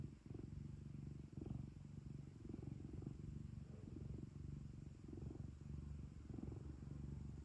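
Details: Cat kept as a house pet, purring continuously: a low vibrating drone with gentle pulses of loudness close to once per second, nearly unbroken, with soft room hiss.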